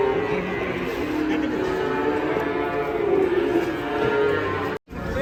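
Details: Fat cattle giving long, even moos that drone on steadily with little change in pitch, overlapping one another before a brief cut near the end.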